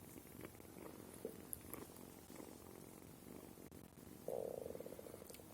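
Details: Low rumbling purr from the kitten Sima, uneven in strength, broken near the end by a short, louder tonal squeak before the rumble resumes.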